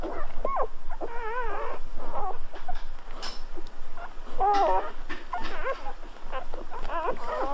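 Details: Golden Retriever puppies at birth let out rising-and-falling whiny squeaks in clusters, some drawn out and warbling, separated by brief quiet spells and light rustling.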